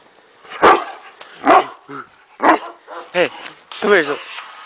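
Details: Kuvasz dog playing in the snow with a child, with a second Kuvasz nearby off camera: a series of deep single barks roughly every second, some followed by shorter yelping notes, with a person calling out between them.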